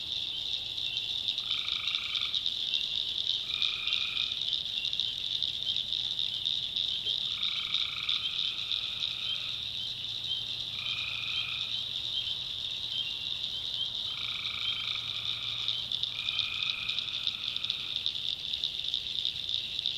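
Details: Nighttime tree frog chorus from a swamp in the North Carolina backwoods: a continuous shrill wall of sound with about eight short, honking two-toned croaks scattered through it, some paired closely, others several seconds apart.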